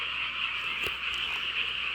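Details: Frog chorus on a rural night in a home village. The calls form a steady, high, trilling drone. One brief sharp click or knock cuts through midway, and a few fainter ticks follow.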